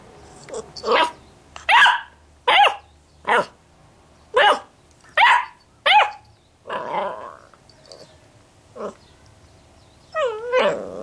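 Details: Two-month-old female Basset Hound puppy demanding attention after being ignored: a run of sharp high barks roughly once a second, some breaking into yelps, ending in a wavering whine, indoors.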